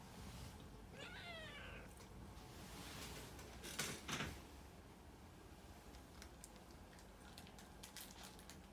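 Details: Puran the cat gives a short meow early on, a brief rising-falling cry, followed by a knock or thump and scattered clicking sounds in a room.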